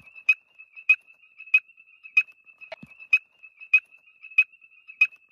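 A frog gives sharp, high clicking notes about every two-thirds of a second over a steady high hum.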